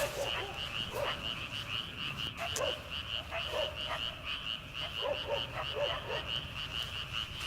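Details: Frogs calling at night in rice paddies in early summer, before rice planting: a dense chorus of rapid pulsed croaks forming a steady trill, with separate lower croaks every second or so and a faint rural night hush.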